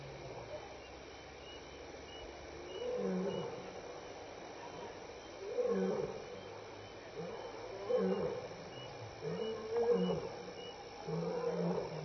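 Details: Lion contact calling at Elephant Plains Game Lodge, South Africa, on the evening of May 26, 2011, between 6 and 7 PM: deep moaning roars rise and fall in a run of drawn-out pulses every second or two over steady night insects.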